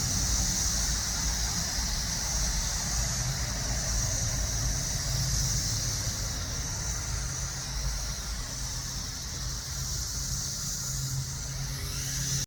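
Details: In summer in the southern suburbs of Chicago, a steady, high-pitched cicada drone hums without a break over a low rumble of passing traffic.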